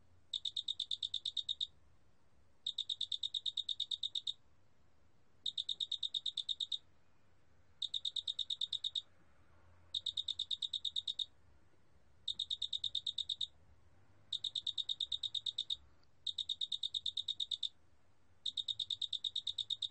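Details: Large spotted cricket (큰알락귀뚜라미) from a 2020 National Institute of Biological Resources recording: bright, high chirping pulse trains about 1.5 seconds long, separated by short silent gaps, repeating steadily against a quiet background.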